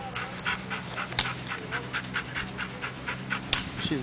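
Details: German Shepherd puppy panting outdoors, quick airy breaths repeating about every quarter second, with a few soft higher whimper-like notes and faint human voices in the background.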